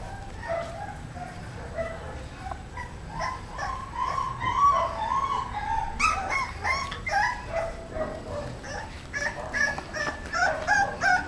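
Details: English Bulldog puppy, a 35-day-old female born at a kennel, granddaughter of a two-time world champion; high whining yelps and whimpers run continuously, rising and falling, with denser sharp yips in the second half.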